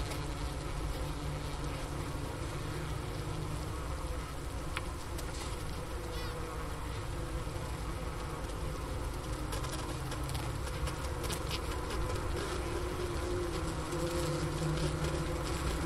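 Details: Honey bee hive in winter on the Ohio State University Wooster campus, January 16, 2024, near 4 PM at 15 °F, recorder beside the inner-cover hole and sugar brick; even, low buzzing drone with faint scratchy flickers.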